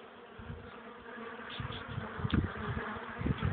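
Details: Honey bees working at a hive in cold wind, sunny April day at 12 °C, carrying pollen; short stretch of droning hum with a few brief higher buzzes of passing bees and low wind rumbles.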